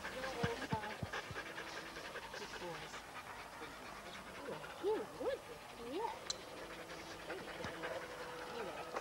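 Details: Huskies gathered at a sled dog race weekend in the Forest of Dean, November 2001, taped on old VHS: overlapping high whines and short yelps that bend up and down, several dogs calling at once, with people talking and crowd noise behind.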